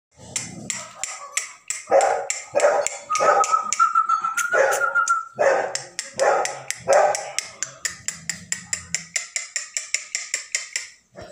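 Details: Beagle puppies in Chennai, India, yapping with short barks and one drawn-out whine, set against a steady rapid ticking that repeats several times a second throughout.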